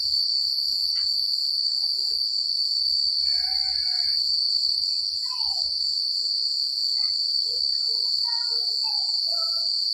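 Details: Countryside crickets at night, a constant bright high trill running throughout, joined by scattered faint whistled and warbled notes from other animals and a low background rumble.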